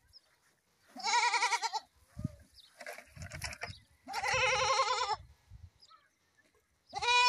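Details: Repeated goat bleats, wavering and nasal, one long quivering cry followed by a fainter call, another long bleat and a sharp cry cut off at the end, with background rustling.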